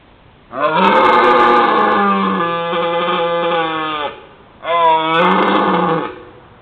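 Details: Red deer stag bellowing during the mating season in the Peak District, recorded on a trail camera: one long, deep, roaring bellow of about three and a half seconds, then a shorter second roar after a brief pause.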